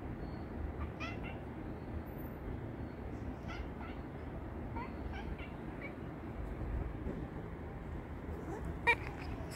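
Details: Ani, a pet cat, calling her owner to wake up, giving a series of short high meows and chirps spread through the recording, with a quiet room hum underneath and one sharp knock near the end.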